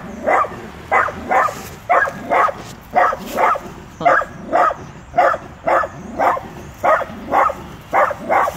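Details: Fearless little Dachshund telling off a grown Rottweiler: continuous sharp barks, often in pairs, roughly one per second throughout.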